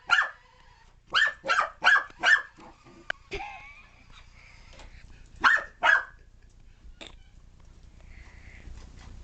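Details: Puppy in pursuit of a remote control car: four rapid yapping barks open, followed by a squealing whine, a quieter spell, two more sharp barks and a faint tonal sound trailing off.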